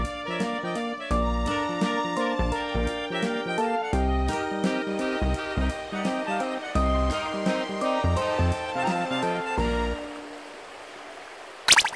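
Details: Gentle background music with chiming keyboard notes and soft beats that fade out near the end, no animal sound present.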